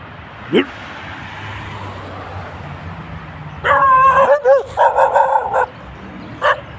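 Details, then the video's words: Dog barking: a burst of loud, harsh, rapid barks in the middle of the recording over steady background noise, with some speech-like sounds and a single sharp yelp near the start. "Terrifying dog barking"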